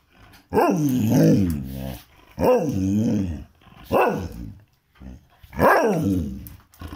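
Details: A domestic dog in India demands a walk outside with four rough, growly moaning barks. Each one rises and then falls, and they come roughly every one and a half seconds in a small quiet room.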